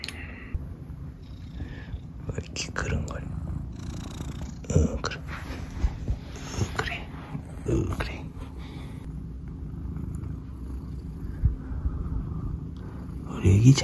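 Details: Soonmoo, a house cat, purring loudly indoors in the morning while her owner greets her before work; a continuous deep rumble runs throughout under his soft, whispered talk and small handling noises.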